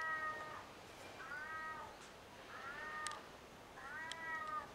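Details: A ring-tailed lemur on the lemur island at Opole Zoo, Poland, gives cat-like, drawn-out mewing calls, repeated about every second and a half.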